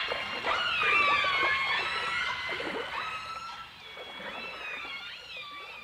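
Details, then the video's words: Dolphins and orcas in a 1989 stereo recording: steady and gently rising whistles overlap in a chorus, interrupted by short clicky bursts, then fade slightly toward the end. "The Enchanting Sounds Of Dolphin Song (Dolphins & Orcas)"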